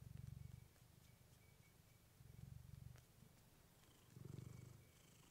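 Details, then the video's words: Clementine, a domestic cat, purrs into a fluffy microphone; deep low rumble rises in three rhythmic waves roughly two seconds apart, each inhale-exhale cycle clearly audible, a few faint clicks in between. "Cat purring you to sleep with fluffy mic"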